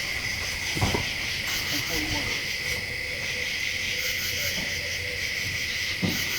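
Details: Insects chirping at night in the Pennsylvania Wilds woods: a steady, high, unbroken trill with a faint pulsing shimmer above, a few soft knocks and rustles in the background.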